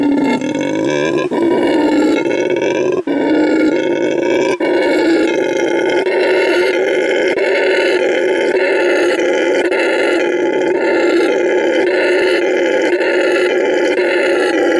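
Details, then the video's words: ['Marking his new home at a Bolivian refuge, Send Verde, the rescued male red howler Canelo howls as loudly as he can, a sustained guttural roar with pulsing overtones and a few short breaks early on.'] "Red Howler Monkey Howls to Mark His Territory"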